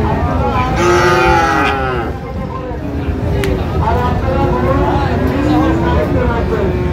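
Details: Young Friesian and crossbred bull calves, four to five months old, traded at Raniganj market in Dinajpur; several long wavering moos rise and fall amid busy market noise and men haggling over prices.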